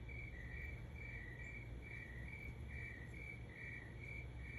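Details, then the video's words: Night chirping of crickets at 3 am: quick paired chirps repeating evenly, one slightly higher than the other, above a persistent low-pitched hum. "Cricket Sounds at 3 am"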